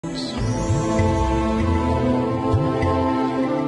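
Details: Soft, sustained orchestral background music fills the short stretch, with faint speech beneath it.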